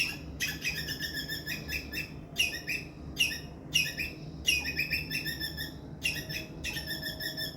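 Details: An Indian palm squirrel gives loud, sharp chirps in quick rhythmic bursts, pausing briefly between bouts. It is described as a distress call that draws in adult squirrels.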